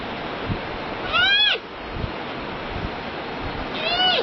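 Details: Two nasal, harmonic bleats from a panda, each curving up and down over roughly half a second, spaced about three seconds apart, over constant low hiss with faint soft thumps.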